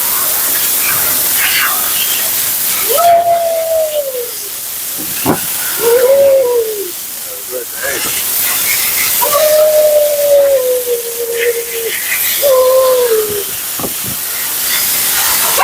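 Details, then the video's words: Under the steady roar of a grooming blower, Mila the talkative female Siberian Husky protests her blowout with four arching, moaning howls, alternating short curved calls with a longer gently falling one. "Talking Husky FURNADO Bath and Blowout"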